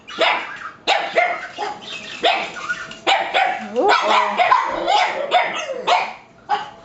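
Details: Two pet dogs bark at an approaching parrot they seem afraid of; dense overlapping barks and yips, with a person talking over them in the middle.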